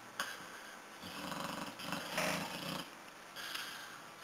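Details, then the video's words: Corky, a pet dog, snoozing indoors: rough, breathy snores come in irregular noisy bursts, the loudest near the middle, with hiss across the upper range and short quiet gaps between breaths. "snoring dog corky"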